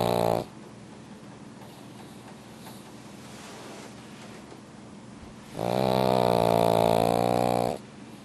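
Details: A pug sleeps deeply in a heated room and snores loudly. A steady breathy rumble gives way to one long droning, buzzing snore lasting about two seconds near the end.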